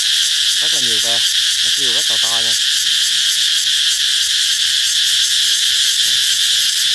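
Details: Loud continuous cicada song, a sign that summer is near: a steady, metallic, high-pitched whine without pauses, overlaid by a person speaking briefly between roughly one and two and a half seconds.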